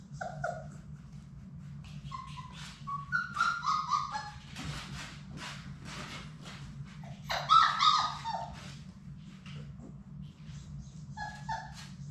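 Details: Labrador Retriever puppies from Sadie's litter of six in their indoor play room, playing: short high whimpers and squeaky yips in scattered bursts, a louder cry near the end, over a steady low room hum.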